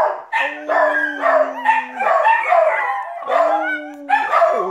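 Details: Puggle, rat terrier and dachshund-pug mix howling in chorus over some uneaten food, a person howling along to encourage the smallest; a low steady human-like tone under higher wavering dog howls and short yelps.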